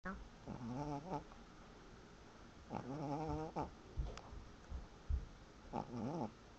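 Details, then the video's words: Sleeping pet dog snoring; three drawn-out, wavering nasal breaths with a rising and falling whine-like tone, spaced a couple of seconds apart, over a steady low background hiss. "The Cutest Dog Snoring"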